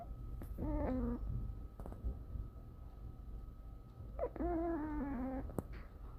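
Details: Jjanga, a nine-month-old female French Bulldog, snoring on 30 August 2019: two drawn-out, faintly whistling tonal snores, each gliding slightly downward and lasting about a second, over a low steady hum.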